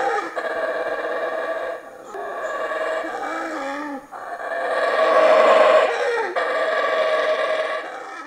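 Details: Wild howler monkey near a rudimentary campsite in the Escárcega forest, Campeche, Mexico, seen feeding close by in the trees; sustained guttural howling, its pitch dipping midway before rising again into a louder, drawn-out roar.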